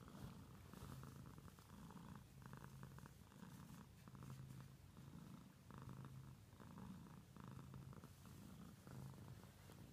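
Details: Steady purring from a pet cat, a deep buzzing rumble that pulses in regular waves, around ten breath cycles of rising and falling intensity, unbroken from start to finish.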